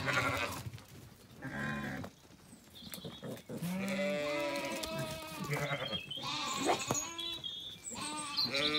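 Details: Zwartbles sheep on an Irish farm in County Kilkenny settling for the night at sunset after feeding; a lamb and ewes exchange many wavering bleats, high and low, closely overlapping throughout.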